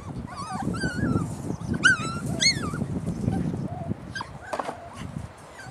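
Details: Puppies whimpering and squealing, thin high whines rising and falling in overlapping bursts, one sharp yelp near the middle, over a constant low rumble of movement and shuffling.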